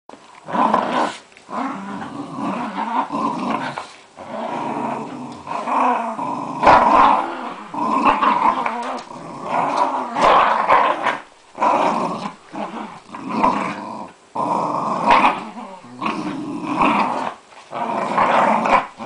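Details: Two Jack Russell Terriers, Casper and Dylan, play fighting over a Buzz Lightyear toy; continuous rough growling in bursts, rising and falling every second or two with brief pauses, indoors.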